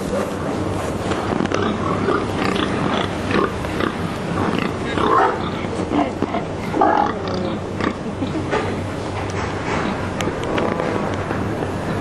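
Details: Pigs kept in narrow slaughterhouse boxes in Sweden overnight before being slaughtered, many of them stressed; low, nasal grunts cluster in the middle of the recording, heard through constant mechanical rumble and crowd noise.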